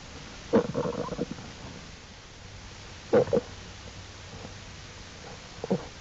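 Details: Cubs of Jewel, an American black bear, exploring outside the den with their mother, April 2, 2012, Wildlife Research Institute; three separate bursts of harmonic, bawling whimpers, the first stuttering and drawn out, the others shorter, with quiet gaps.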